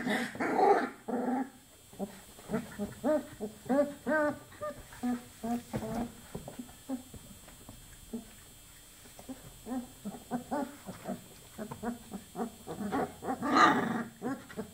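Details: Litter of 24-day-old chocolate Labrador Retriever puppies whimpering and squeaking in rapid trains of short, pulsed whines, with two louder yelps at the start and near the end and a brief lull midway.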